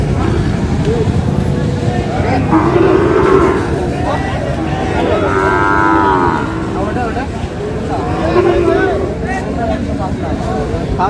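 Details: Cattle of the Sahiwal breed being bought and sold at a market in Sylhet, Bangladesh, on 22 May: several lowing calls, one strong rich moo in the middle, against busy market chatter and traffic.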